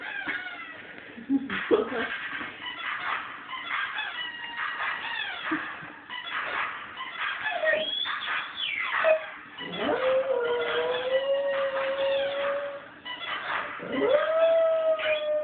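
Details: Domestic dog howling along to a squeaky toy's song indoors; toy tune and squeaks dominate early, then long steady drawn-out howls rise and hold from about ten seconds on, recorded on a phone.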